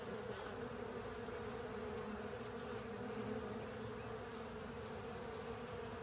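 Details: Honey bees working over a honey filter alongside other insects, filling the air with a dense, continuous wing hum. A bright mid-range tone with layered harmonics stays level throughout, without pauses.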